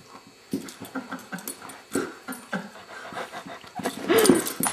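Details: Abigail, a female beagle in foster care, makes a string of short, soft grunting whimpers roughly twice a second, ending in a brief higher, tonal whine-growl.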